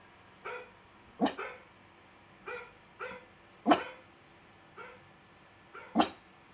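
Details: Pet pug barking in reaction to recorded dog barking: about seven short, sharp barks spaced unevenly over six seconds, some doubled, with a quiet steady background hum.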